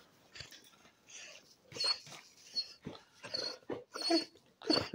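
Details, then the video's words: Indoor basset hound letting out raspy, strained screeches in uneven bursts, several per second toward the end, growing louder, with other dogs of the household nearby. "screeching basset"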